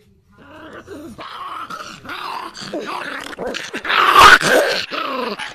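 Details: A puppy that does not want its picture taken makes a string of low, rough growls and whiny groans indoors, rising into a louder, strained yelp-like cry near the end.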